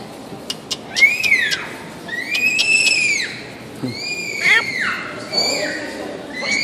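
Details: Meerkat calls: a series of sharp, whistled chirps that rise then drop, with bright overtones, repeated roughly every second and a half over a low background murmur.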